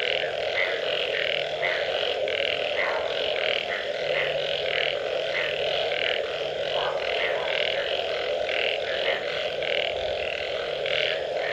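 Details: A steady frog chorus after rainfall: rhythmic, grating croaks stack over one another at a quick pace, backed by a continuous humming wall of calls.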